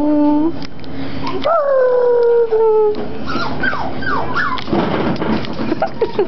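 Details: Cockapoo puppies seven weeks old playing: drawn-out high whines and a long falling howl-like cry, then short yelps and squeaky whimpers in quick succession.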